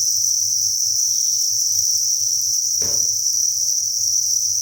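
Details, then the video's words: Thousands of crickets chirping inside a cricket breeding farm, forming a dense, steady high-pitched shimmering chorus without pause; a brief soft knock sounds near the three-second mark. "Cricket Chirping Sound"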